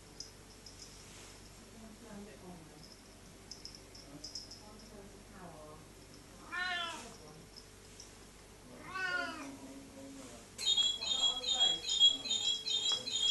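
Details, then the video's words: Australian Mist cat, a new pet, meowing indoors: two drawn-out, wavering meows with rising then falling pitch about two seconds apart, softer murmurs earlier, then a burst of high chirpy sounds at the end. "My Grandpa's New Australian Mist Cat"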